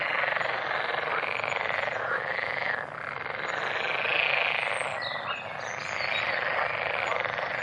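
A dense frog chorus of fast, overlapping croaks and trills that forms a steady wall of sound.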